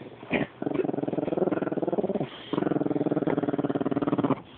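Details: Rat terrier growling because she wants her toy: two long, steady, buzzy growls with a strongly pulsed, rattling texture, separated by a short pause.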